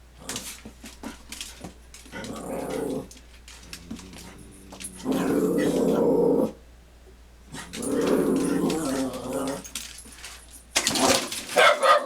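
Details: Dogs squaring off in a confrontation, growling: three long, rough, rumbling growls of two to three seconds each, separated by quieter low grumbles, ending in a sudden loud burst of scuffling noise.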